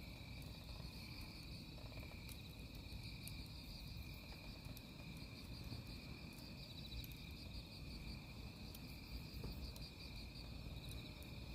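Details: Crickets near a campfire give an unbroken high trill, with rapid rhythmic pulses above it. Dense low rumble and intermittent crackling clicks from burning firewood run throughout.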